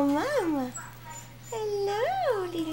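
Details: Three-week-old red toy poodle puppy from Praline's litter, sired by Spud, squeaks indoors with two short whimpers that rise and fall in pitch, while a woman talks to it softly nearby.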